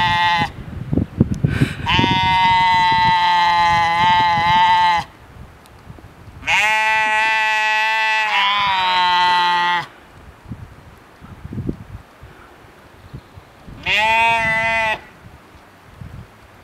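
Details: Sheep (Ovis aries), bleat.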